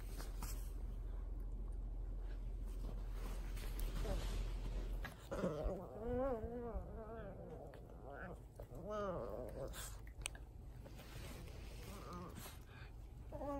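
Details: Cavalier King Charles Spaniel at home in Japan during its persistent nightly bedtime ritual, indoors, giving wavering, warbling whine-like vocalizations that rise and fall in bursts. A woman's voice urges it to go to sleep.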